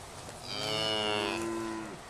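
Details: A single sustained moo from a grazing cow, about one and a half seconds long, rich and harmonic, swelling then easing off with a slight downward bend at the end, in a quiet outdoor setting.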